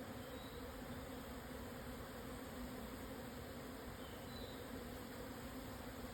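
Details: Japanese honey bee swarm relocating at noon on 17 June 2024, Hokuto, Yamanashi, Japan, 1054 m on the Yatsugatake highland. Thick unchanging buzzing hum from a mass of bees in flight.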